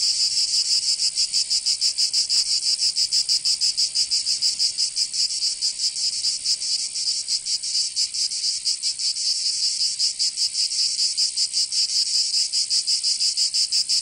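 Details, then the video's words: Provençal cicadas in summer, southern France: an unbroken high, metallic buzzing with quick, irregular throbs that smear together at times, no other voices present. "Canto Cigarra 🦗 [ Escuchar les cigarras en verano 10 H]"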